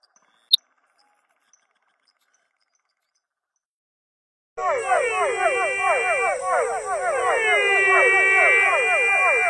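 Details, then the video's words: Frogs of an unnamed rare species, calling after four seconds of near silence: overlapping harmonic notes that swoop downward, repeated almost twice a second by several callers at once, with a steady high whine running behind them. "Rare and beautiful frog species Amazing frog sound"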